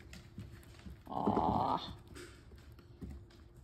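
A Long-haired Weimaraner puppy gives a brief, high, wavering whine lasting under a second.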